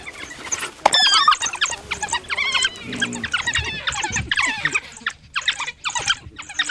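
African wild dogs give a chorus of high, squeaky twitters and squeals in quick, overlapping bursts.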